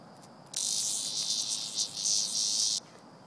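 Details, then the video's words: Cicada handled in play by a pet named Vanda, giving one continuous high, harsh buzz lasting about two seconds, wavering slightly in loudness before cutting off abruptly. "Vanda and the cicada"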